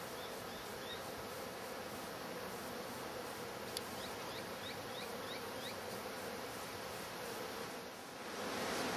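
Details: Wild honey bee colony rehoused from a shattered log, the bees working at fondant in their new hive; continuous broad droning buzz of many insects throughout, with a short click and a few faint high chirps midway.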